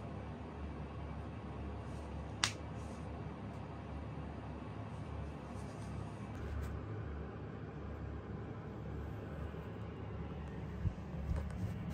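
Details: A quiet indoor room with a low steady hum, one sharp snap-like click and a few faint knocks near the end.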